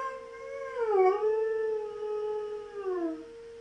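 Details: Knuckles the German Shepherd howls along with the monthly siren test, his voice dipping, rising and bending down again over the siren's constant steady tone.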